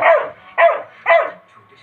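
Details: Angry Labrador Retriever barking: three sharp, harsh barks spaced about half a second apart, each a loud burst that fades quickly, with quiet pauses between.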